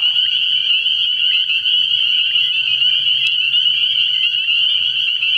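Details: A nighttime frog pond in early spring fills with a massed spring peeper chorus, sharp high peeps overlapping into one continuous bright trill, with a soft low droning beneath.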